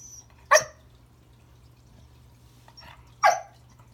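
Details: Pembroke Welsh Corgi Remington at Christmas, barking at a new toy under the tree to say hello: two loud bright barks about three seconds apart, a quieter one between, and another starting at the end, with a thin high squeak.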